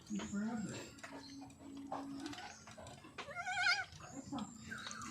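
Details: Goats in their new house, including a mother and her young; a quavering, trembling bleat midway, with a person's speech and soft background noise around it.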